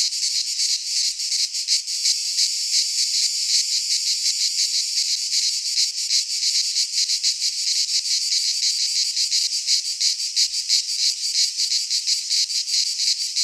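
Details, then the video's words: Many cicadas sing together in midsummer among Greek pines, a constant sizzling high-pitched buzz pulsing rapidly around three times per second, steady in loudness from start to finish. "Cicadas singing in midsummer - Nature sounds from the Greek fauna - Sounds of cicadas"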